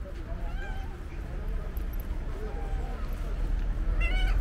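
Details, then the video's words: A female stray cowcat waits at her usual spot and meows on seeing the person who feeds her. Several soft, wavering meows come early, then a louder, rising harmonic meow at the end, over low rumble and human speech. "Cute cowcat is waiting for me and starts meowing when she saw me"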